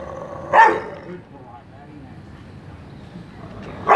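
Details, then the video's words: Trained Rottweiler in Mumbai barking on command during attack speak training: one sharp bark, a pause of about three seconds, then a second bark starting at the end. "Rottweiler dog attacking speak training"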